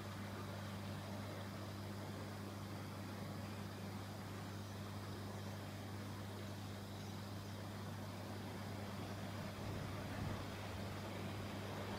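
A steady low engine-like hum with broad background noise throughout, and no clear bird or other animal calls.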